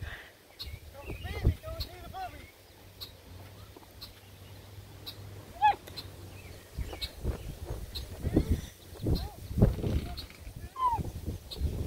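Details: Redbone Coonhound puppies romping with a Bluetick Coonhound puppy; short arched high yips and whimpers come in scattered bursts over rustling and scuffling, with a woman talking softly to them.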